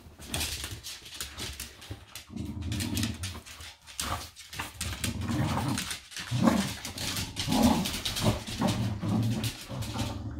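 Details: Pet dogs Doby and Blue play indoors, competing to free a toy wrapped in a small blanket. Low rumbling growls come in long stretches, with scrabbling, rustling fabric and panting throughout.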